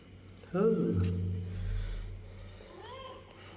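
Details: Domestic cat giving one drawn-out, rising-then-falling meow, followed by a low steady hum and a fainter second meow near the end.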